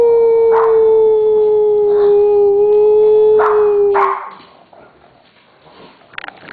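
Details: Siberian Huskies, three at home, coaxed to howl on cue: a long steady howl held for about four seconds with short yelping bursts over it, then fading to quiet with faint rustling.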